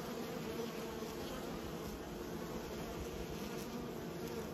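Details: Kept honey bees hum in a constant low-pitched drone, thick and unbroken, like a swarm of wings beating together with no other sounds standing out.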